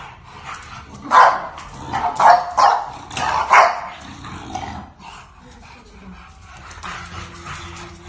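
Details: Bulldog puppy Archie establishing boundaries with his new sister Olivia: a run of four short, harsh barks about a second apart, then quieter low grumbling, with faint talk in the background.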